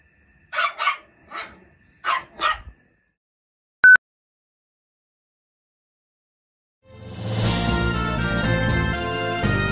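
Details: A Toy Poodle puppy newly arrived in the family gives a quick run of high, sharp barks at a crying young boy, a friendly bid to make friends.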